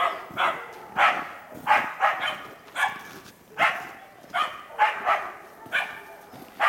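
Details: Karelo-Finnish Laikas Rus-Fin, aged two years, and Kaya, aged eight months, working a wild boar in an enclosure while training for trials; sharp, mid-pitched barks repeat about every half second to second in a steady rhythm, with faint background noise.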